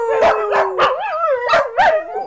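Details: Cassidy the corgi singing along with her owner's rendition of "Take Me Out To The Ball Game"; a steady, drawn-out howl that wavers up and down in pitch, punctuated by several sharp, louder yips.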